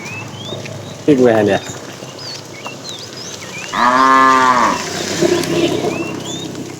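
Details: Tame herded cow in the afternoon, a fat animal calling the female: a short low moo, then a longer, fuller moo with rich harmonics lasting about a second, with small birds chirping throughout.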